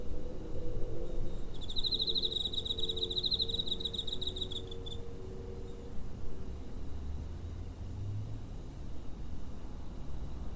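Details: Cricket recorded near a home on 7 September 2023 with a TASCAM DR-05, giving a quick burst of high, pulsing chirps lasting about three seconds, then a thin, steady high whine and low rumbling background noise.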